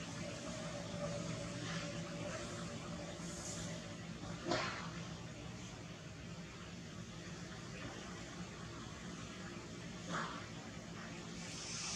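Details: Quiet indoor background noise with a low rumble and soft water-like hiss, broken by a brief clatter near the middle and another faint knock later.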